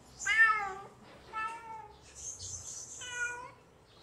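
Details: Hungry kitten calls out with three high, clear meows, the first loudest, each about half a second long with a slight falling tail, plus a brief hissy rustle between the second and third.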